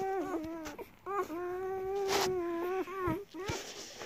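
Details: German Shepherd puppies at their mother's milk, one pup giving long drawn-out whining cries, a sustained level wail of over a second flanked by shorter bent squeals, with faint handling noise.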